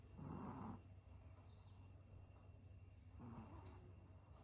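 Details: Napping Yorkshire Terrier snoring, two loud rasping snore bursts about three seconds apart, each lasting under a second, with quiet breathing between them.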